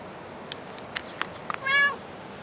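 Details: Short, bright meow from a cat at Dockyard Garden on the early morning of 21 August 2016, coming after a few sharp clicks and taps, over a quiet hiss.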